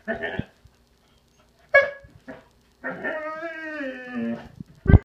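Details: Whining from a pet Irish Setter: brief yips and a squeak, then a sustained, tremulous nasal whine of about one and a half seconds that sags slightly in pitch, ending with a thump.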